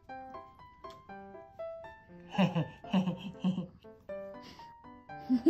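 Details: Plucked, bell-like melody plays throughout, with a burst of voices and laughter in the middle.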